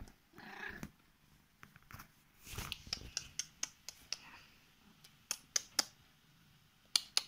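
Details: Korat cat, a female, climbing into bed to wake her owner and show affection; a brief voiced cry at the start, then quiet purring broken by frequent crisp clicks and bedding rustle in a small room.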